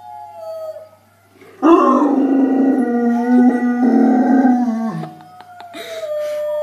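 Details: Dog howling indoors, a long sustained low tone with rich harmonics starting after a quiet opening, steady for about three seconds, then fading into a higher thin wavering note.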